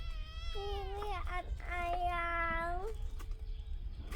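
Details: A kitten climbing a tree gives two long, drawn-out steady meows, the second held for over a second, with low background rumble and voices nearby.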